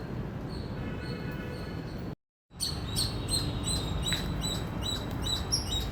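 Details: High, clipped chirps of an Indian squirrel repeated quickly, broken by a brief silent cut after two seconds, then resuming louder and faster over low background noise.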